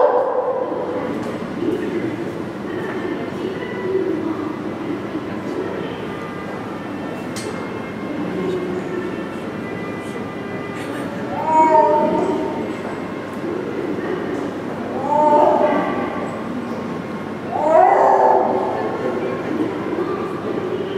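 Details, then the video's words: Akbar, a six-year-old male snow leopard at Maruyama Zoo, calling at length on 10 January 2012, perhaps with breeding season arriving; three drawn-out, harmonic yowls near 12, 15 and 18 seconds rise above steady murmuring background noise. "ユキヒョウの鳴き声~The cry of Snow Leopard"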